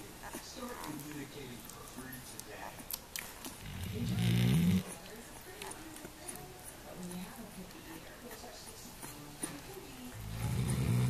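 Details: A female Weimaraner, fallen fast asleep while nursing her 7 puppies, snores loudly in deep, rumbling bursts, with faint background voices between breaths.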